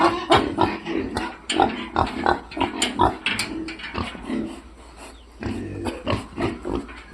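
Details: Loud, dense grunting from F-1 piglets, about 200 short grunts a minute in irregular bursts, falling quiet for about a second midway before the grunting resumes.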